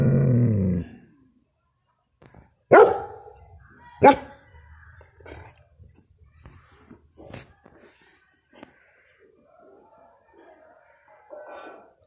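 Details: Protective six-month-old German Shepherd puppy giving a deep, loud bark: one long rough burst at the start, then sharp single barks near three and four seconds, followed by quieter scattered yips and huffs.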